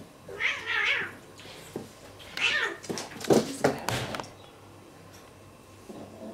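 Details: Two domestic cats in a real fight: drawn-out wavering yowls and a caterwaul around the first seconds, then a burst of loud hissing and spitting scuffle noises, fading to quiet indoor background.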